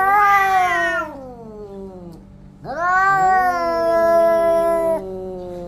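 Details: Orange domestic cats fighting each other: two long, drawn-out yowls, each rich and harmonic, wavering and slowly sliding downward in pitch. A brief quiet gap separates the first cry from the louder, steadier second one.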